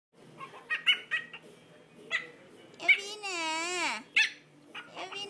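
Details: Chihuahua puppy 58 days old, indoors: a long wavering whine that rises and dips over about a second, among short yips and a person's voice.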